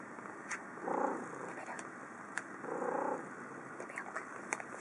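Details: Domestic cat, a female, gives two short, soft, cheery meows about two seconds apart at lunchtime, excited on seeing food in the owner's hand.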